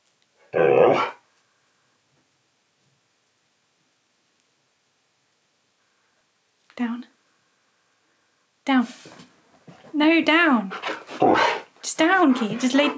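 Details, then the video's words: Keyush the husky, indoors in a small room, argues vocally during a filming session where he is paid in biscuits: after one early burst, a run of wavering, yodel-like whines and grumbles rises and falls repeatedly, with a person giving commands nearby. "Husky SNAPS GLASSES While Arguing About Filming A Video!"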